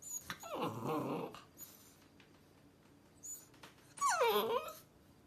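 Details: A Rottweiler puppy on its first day home, placed on a counter, gives two drawn-out whines that slide downward, asking to be let down.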